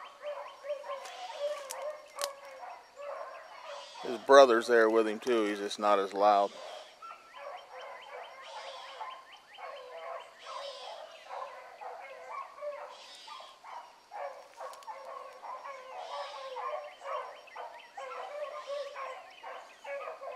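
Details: A pack of young hounds running a rabbit in the morning. Early on, a loud, close, wavering howl dominates for a couple of seconds, then a steady chorus of rapid, overlapping bays and yelps continues at a distance.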